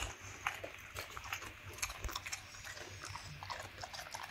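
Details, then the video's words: Black and yellow male Labrador Retrievers eating raw quail eggs, egg over rice and raw chicken bones; quiet, close crisp crunches and wet smacking clicks in quick succession, over a constant low hum. "卵かけごはんTKGを食べるラブラドールレトリバー/うずら生卵/Quail Eggs/生鶏骨/咀嚼音"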